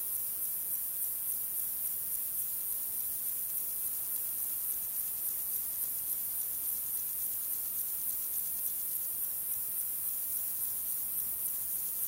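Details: Male Fat-bellied Saddle Bush-cricket, Pycnogaster jugicola, giving its calling song in the Sierra de Guadarrama on 12 July 2019: a continuous, very high-pitched hissing buzz with faint rapid pulsing that runs unbroken throughout, with no other clear sounds.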